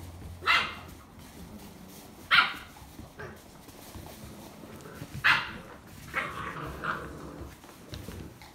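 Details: A litter of thirteen seven-week-old Vizsla x Dogo Argentino puppies plays boisterously in the afternoon alongside a livestock guardian pup. Three sharp, loud barks ring out a couple of seconds apart, followed by softer whining yelps near the end.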